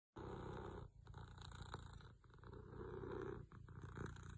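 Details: Sleeping pet cat snoring, a low rumbling rasp in long swelling breaths with short gaps between them, indoors.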